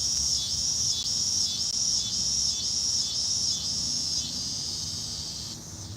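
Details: A loud cicada chorus on a hot day gives a high shrill buzz pulsing about four times a second.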